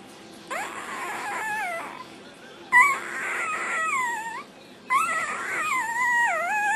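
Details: Black tri Australian Shepherd puppy, born 11/13/08, singing while eating dinner: three drawn-out, wavering whines about two seconds apart, each sliding up and down in a tuneful, yodel-like warble with a faint background hiss.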